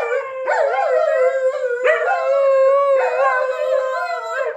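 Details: A Siberian Husky and a German Shepherd, household pets, howl against each other to see which is louder; three sustained howls, each starting with an upward swoop then holding a steady wavering tone.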